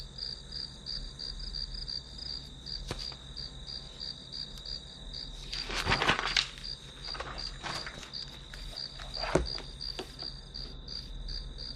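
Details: Grass insects heard as white noise during a study session: a steady high, pulsed chirping, roughly three pulses a second, overlaid by several sharp knocks and rustling taps, with a faint low hum beneath.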